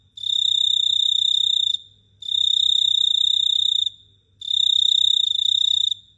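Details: At night in Phteah Prey, a cricket produces long, unbroken, shrill metallic trills about one and a half seconds each, separated by brief half-second silences, three in a row against near-silence.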